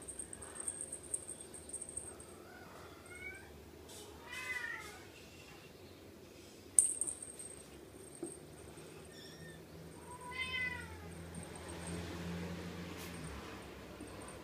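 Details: Playful Ragdoll kittens from May and March litters give several short, rising-then-falling meows with rich harmonics, scattered over fourteen seconds. Between the calls are faint knocks and a low indoor hum.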